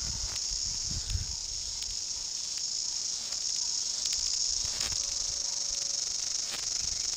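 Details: New Zealand chorus cicadas (Amphipsalta zelandica, kihikihi wawa), endemic, in bush, a male and female close by: a dense, shrill, unbroken, very loud buzzing chorus of a kind audible from far away; most abundant in February.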